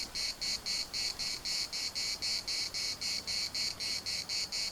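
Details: Chorus of cicadas at Larnaca's municipal park, a shrill rasping buzz broken into even pulses roughly four per second, steady in loudness throughout.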